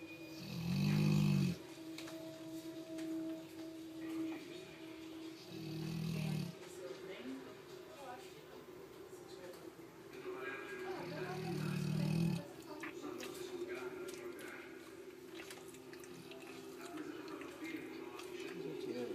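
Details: Canny, a Labrador Retriever, snoring: low rumbling breaths come roughly every five to six seconds over a steady hum and background noise.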